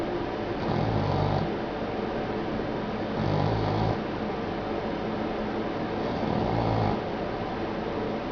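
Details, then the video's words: Boston Terrier named Poppy sound asleep, giving three slow, low rumbling snores about every two and a half seconds over a steady background hiss. "Snoring Boston Terrier"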